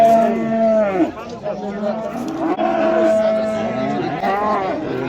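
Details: Bulls at the Oqtepa livestock market in Oltinko'l, Andijan, Uzbekistan, lowing loudly: drawn-out moos that swell and sag, one ending near the first second and others following, while people talk in the background.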